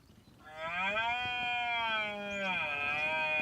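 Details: A red deer stag in the autumn rut in the Sierra de la Demanda, Burgos, gives a long, sustained bellow to attract females and to intimidate and challenge rival males.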